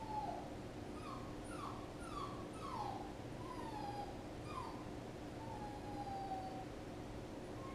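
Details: Puppy whining in a steady run of high, thin cries, each sliding downward, about one per second, with several drawn out longer near the end over a low background hum.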